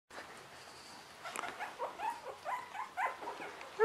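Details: Three-week-old Russian Toy puppies: after a quiet start, a run of short, high, tonal whimpers and squeaks follows about every half second, with soft rustling underneath.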